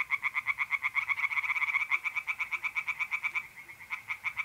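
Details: Singing tree frogs by a pond at night, mid-April, north-east Italy: a continuous train of rapid, regular rattling pulses, about three per second's fraction, loud and unbroken, fading slightly toward the end.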